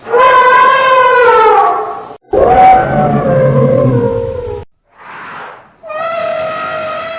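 An African bush elephant trumpets loudly, with brassy blasts broken by a rough, rumbling roar.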